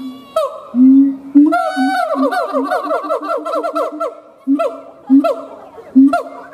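Siamangs duet with deep booming notes and a fast run of rising and falling whooping barks.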